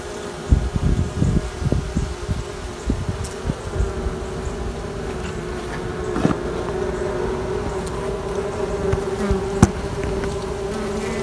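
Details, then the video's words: Honey bee colony left queenless for queen rearing, a steady hive hum centred low with a sustained tone band, broken by thumps and knocks in the first three seconds and a sharp click near six seconds. "Making Queens - Sights and Sounds"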